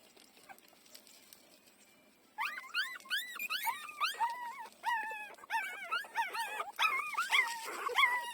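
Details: Four-day-old puppies feeding from their mother give high squealing whimpers after a quiet start, rising-and-falling whined notes with bright overtones, tumbling over one another in quick irregular bursts.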